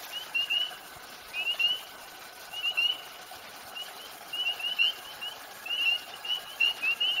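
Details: Chorus of spring peepers, small brown tree frogs marked with a brown X, at a night pond in Highlands, North Carolina: loud, high beep-beep peeps, each briefly rising, repeated in rapid overlapping bursts by several callers.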